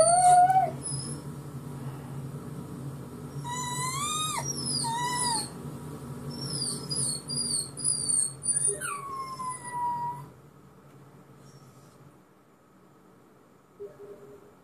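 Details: Pet dog reacting to a playback of his own crying, giving short rising yelps and bent, whining howl notes with bright overtones for about ten seconds, then near silence with a low hum.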